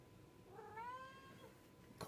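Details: A pet cat indoors gives a single drawn-out meow, rising then gently falling, lasting under a second, followed by a sharp click or tap; quiet room background.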